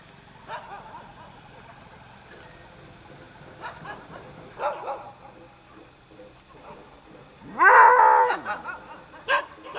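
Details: A striped hyena at Trimbakeshwar, Nasik district, gives one short, strained yelp with bending harmonics after quiet, scattered clicks and knocks.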